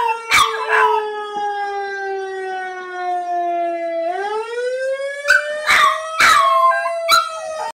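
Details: Hearing an emergency vehicle siren, an 11-week-old female puppy breaks into short, quavering howls. The siren's smooth tone falls, then climbs again while her cries repeat over it.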